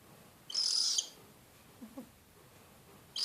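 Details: Screeching from a pet animal: a long, harsh, hissing screech of about half a second, faint low soft sounds in the pause, and a fresh screech beginning at the very end.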